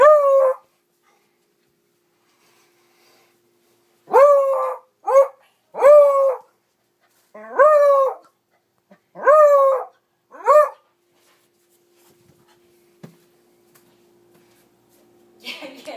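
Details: Beagle barking at a mounted trophy boar head hung on a wall after a hunt. Seven loud, drawn-out baying barks, each rising and then falling, come singly or in pairs, with quiet stretches between.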